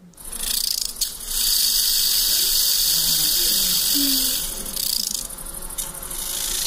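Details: Large banded grasshopper (arcyptère bariolée), a mountain grasshopper of the Massif Central, Alps and Pyrenees in summer, played back during a talk: a dense, steady high-pitched rasping buzz holds for several seconds, likened to a wind-up toy unwinding.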